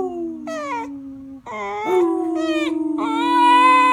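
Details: Bender, a beagle who is normally very quiet and rarely barks, gives his first full howl indoors: drawn-out, wavering moaning tones, some sliding downward, broken by short pauses, with a steady lower voice sustained beneath.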